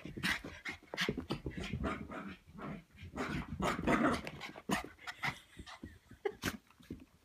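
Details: Red Cavapoo puppy, cavalier King Charles spaniel crossed with toy poodle, 3.5 months old, frapping indoors after a foot wash: rapid panting and scuffling with short low grunts and growly huffs, irregular bursts throughout.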